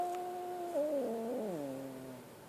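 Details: Scared kitten giving one long, drawn-out tonal cry that holds steady, wavers, then slides gradually downward over about two seconds, in a quiet setting.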